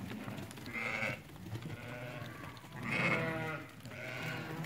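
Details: Market ewes that have lambed, part of a lot of eighty for sale at Fqih Ben Salah. Three loud, nasal, quavering bleats come roughly every one and a half seconds over a background of livestock and general noise.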